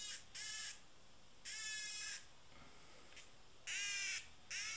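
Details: Cicada, described as tame, giving loud, harsh, broadband buzzing bursts, each a fraction of a second to about a second long, repeated with short gaps over a faint background hiss.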